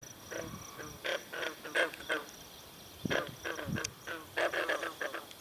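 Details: A chorus of green frogs at a pond at Brillion Nature Center gives short, twanging plucked notes at irregular intervals, with faint twitters from swallows drinking at the pond.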